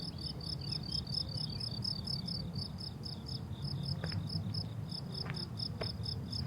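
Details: Crickets on a blooming summer meadow: rapid, steady high-pitched chirps pulsing in an even rhythm, a few faint bird notes around four to six seconds, low rumbling background.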